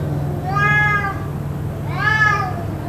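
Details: Cat yowling on and on, possibly fighting, kept up for about two hours: two drawn-out harmonic wails, each rising then falling, around a second long, over a steady low hum.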